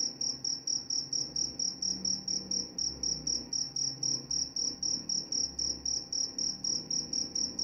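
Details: Cricket keeps up a steady, shrill chirping, quick repeated high pulses with a slight rhythmic swing; soft low droning sounds drift in the background.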